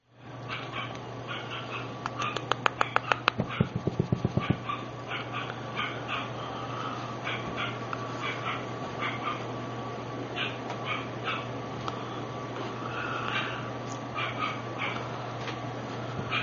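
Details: Female parti-coloured Lhasa Apso puppy: a run of short, sharp yaps in a steady series, with a burst of loud clicking knocks early on and a constant low electrical hum underneath.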